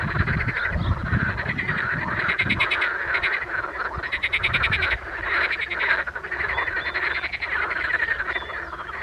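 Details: Edible frogs in spring, calling as a group: continuous, quacking rattles of fast pulses, bright and nasal, with deeper grunting croaks in the first seconds and a steady chorus throughout.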